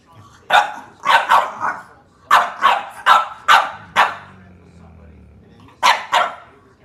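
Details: Playful puppies bothering their littermates, one of them named Sampson. Loud, high yapping barks come in clusters of two or three, about ten in all, with a faint low hum between them and a final pair at the end.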